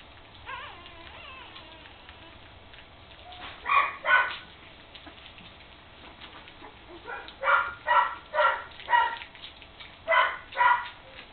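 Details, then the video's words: Puppies three weeks old playing together for the first time; bursts of rough little yips and squealing play-growls in clusters, with quieter scuffling between them. "Puppies playing"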